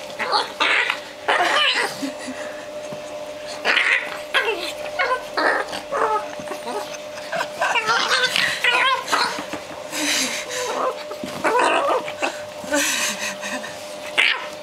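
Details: Male Japanese Chin making weird, funny noises while playing: a busy run of short yips, squeaky whines and yelping bursts, some rising and falling, arriving in quick clusters over a steady faint electrical hum.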